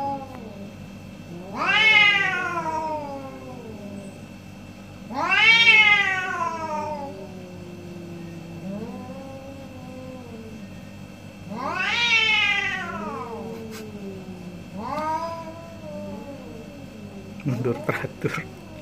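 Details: Morning debate of two orange pet cats: four strong descending meows spaced several seconds apart plus a softer one, ending with brief clattering knocks; steady low background hum throughout.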